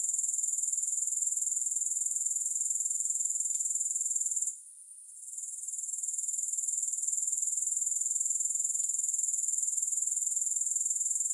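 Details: Grasshoppers keep up a steady, high hissing buzz, regularly pulsed at about four per second; the sound dips out briefly near the middle and returns, with a couple of faint clicks. No music.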